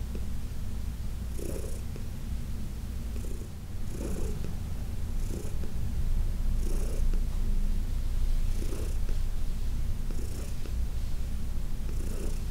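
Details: Heidi, an elderly cat adopted in New York City in 2019, keeps up a strong low purr through a massage session, the rumble swelling slightly midway, with brushing strokes recurring every second or two.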